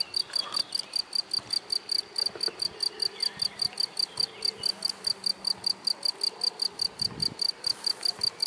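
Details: A cricket hidden in grass, chirping with rapid, steady, high-pitched pulses about four per second for the whole stretch, over faint low background rustle.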